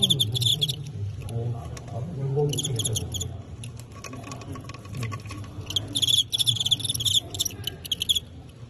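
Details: Fighting crickets in a bout where a Teng County insect knocks out a Qingyuan rival; shrill, rapidly pulsed chirping breaks out in several bursts separated by pauses, with men chatting in Cantonese underneath.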